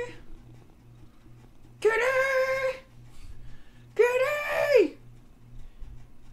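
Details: Domestic cat indoors giving two separate meows about two seconds apart, each a drawn-out, nasal, harmonic cry that rises slightly and then falls away at the end, with a soft steady hum in the background.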